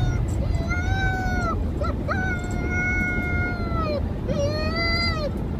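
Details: Pet dog delivering three sustained howls, each starting with a brief upward slide then holding a steady tone for one to two seconds before dropping, against a low background rumble.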